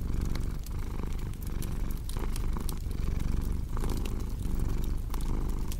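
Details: Cat purring steadily in a low, rumbling drone, mixed with the sharp pops and snaps of a crackling fireplace throughout.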